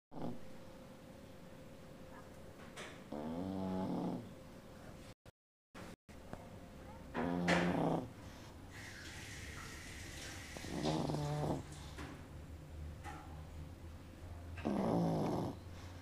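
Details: Mother pug snoring beside her 16-day-old puppy, who is dreaming, indoors. Low, buzzy, rattling snores come about every three to four seconds, with a brief hiss of noise midway and a steady faint hum.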